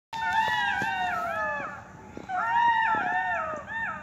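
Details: Jackals, heard but unseen, give high, wavering howls that slide downward, with several voices overlapping in a chorus.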